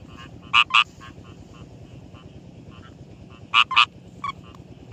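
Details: Rice field frogs in daytime calling: short, sharp, paired croaks, two quick notes close together, repeated about three seconds apart, over a steady chorus of fainter rapid clicking calls.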